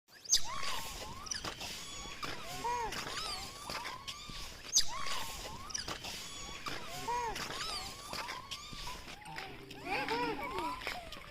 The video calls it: A group of monkeys making noise